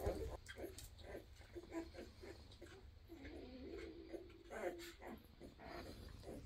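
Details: Sleepy Weimaraner puppies of a 2023 litter make faint squeaks and a couple of drawn-out, level whines, separated by soft snuffly grunts, with a low hum throughout.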